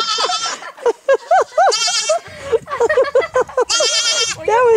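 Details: Baby goat bleating loudly in a quick series of wavering, quavering cries, some rising and falling, with short gaps between them and human voices mixed in.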